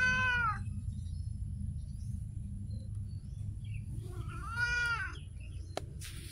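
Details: Street cat meowing: a short meow at the start, a pause of several seconds with low background rumble, then a second arched meow, followed by a sharp click.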